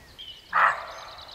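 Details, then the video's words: A single hoarse, rasping, abrupt bark from a roe deer in a quiet forest; both male and female roe deer bark. "Roe deer, both male and female, are barking!"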